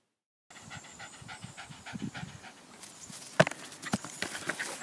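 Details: Jack Russell Terrier playing soccer, panting in quick rhythmic breaths; a burst of sharp scuffing and thumps near the middle as the ball is kicked about.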